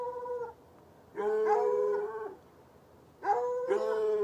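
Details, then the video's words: Night barking of two chained hounds, one white and one dark, in a bushy area beside an irrigation ditch, heard from ten yards; long, drawn-out bays in overlapping bouts roughly every two seconds, with quiet gaps between. "Barking dogs"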